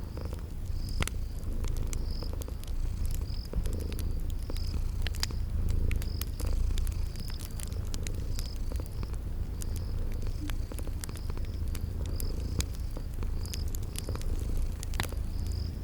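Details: Steady deep purr from sleeping cute kitties near a crackling fireplace in spring garden surroundings, with gentle breathing swells, frequent sharp crackling snaps and a rhythm of short high insect chirps above.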